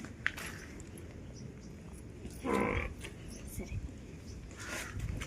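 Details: A single brief, strained bleat from a newborn water buffalo calf on a farm, rising out of low rumbling background noise, with people speaking before and after.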